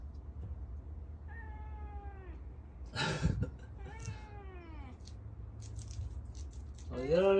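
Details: A cat that has already eaten keeps meowing because it still wants food. It gives drawn-out, falling meows roughly every two to three seconds, with a clatter in between and a louder meow at the end.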